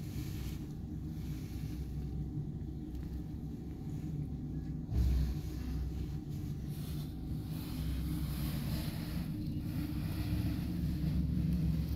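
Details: A low, engine-like rumble runs throughout, broken by a brief thump near the middle.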